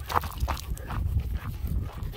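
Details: German Shepherds Nico and Zeeva out walking near Hawick in spring with lambs about, recorded on a Samsung S23 Ultra; breathy panting bursts come about three times a second over heavy low wind rumble.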